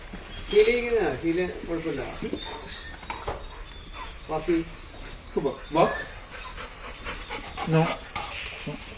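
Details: Labrador Retriever at a training session for basic commands, giving short rising-and-falling whines and whimpers among breathy sounds, while a man speaks praise and commands such as sit down and good boy in Malayalam.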